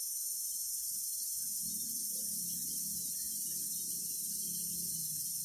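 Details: Several cicadas produce an unbroken, shrill, hissing buzz held at constant strength throughout, over a soft low murmur.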